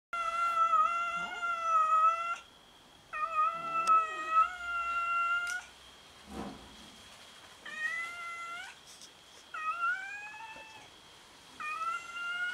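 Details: Several domestic cats meowing while fighting over food: long, drawn-out harmonic meows about two seconds each, some wavering and bending downward, in five bursts with short pauses, plus a brief dull thump midway.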